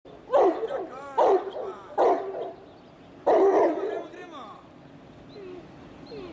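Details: Vilin Karantanski, a Greater Swiss Mountain Dog (Grosser Schweizer Sennenhund) from Slovenia, a working breed pulling a cart, gives four sharp barks, three close together and a fourth after a pause, with some voices in the background.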